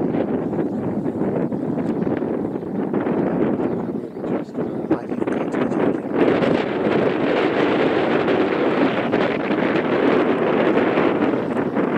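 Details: Steady, blustery wind buffeting the microphone, with no animal voice heard.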